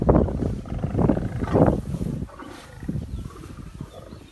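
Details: Lions at Taigan Safari Park in Crimea, 22 May 2019, flowering meadow: a series of loud, deep, breathy grunting roars, about three heavy bursts in the first two seconds, fading into quieter rumbling grunts.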